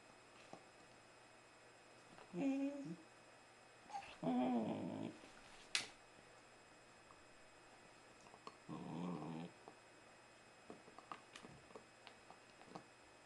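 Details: A 4-month-old female Border Collie puppy gives short, low grumbling growls and whiny vocal noises in bursts while chewing her chips.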